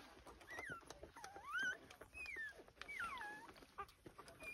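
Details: Lancashire Heeler puppies, two weeks old, hurrying to feed: thin, high squeals and slurred whines sweep up and down over a bed of shuffling and clicking noise.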